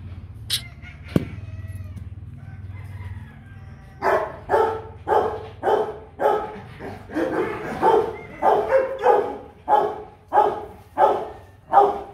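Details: A quiet stretch with a sharp click gives way to a long run of about a dozen hoarse barks from Kute Gervi, a 15-month-old Rottweiler, roughly two per second and slightly irregular.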